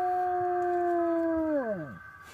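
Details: Dog howls as an ambulance passes by, giving a steady tonal howl that holds level and then sweeps sharply downward and fades. Faint noise fills the background.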